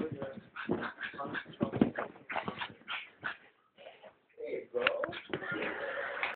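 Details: Female pug puppy, four months old, protesting loudly while being brushed; strained whimpers, yelps and snorting grumbles come in quick succession, overlapped by human voices and laughter.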